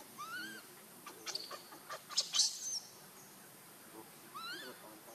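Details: Hungry baby monkey Leo cries to its mother for milk: a clear wavering tonal wail with harmonics at the start, a cluster of sharp shrill squeaks in the middle, then another arched cry near the end.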